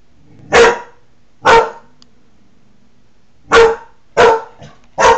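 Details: Protective male Newfoundland barking indoors at his reflection in a window, July 2009, guarding territory: five abrupt, forceful barks in an uneven rhythm with a longer pause midway, a quiet room between them.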